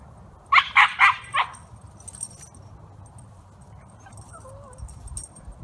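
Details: Senior male Wire Fox Terrier in rescue care after his owner died, giving four quick sharp barks in a row, followed by quiet with faint background noises.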